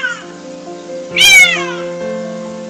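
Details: Domestic cat trapped in a fence, crying out in pain before being rescued and adopted; still wild. One loud, drawn-out meowing cry that rises and then falls, set against steady background music.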